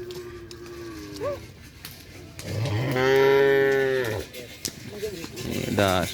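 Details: New Madura bull of a kerapan sapi bull-racing team at a first training session at the Asemanis field, giving one loud, drawn-out nasal moo of about one and a half seconds, with people talking and a brief whistle.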